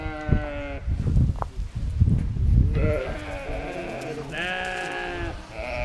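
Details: On a sheep farm, lambs rejected by their mother and now fed by a nursing sheepdog give wavering bleats, a short one early, then longer tremulous cries near the end over low handling noise.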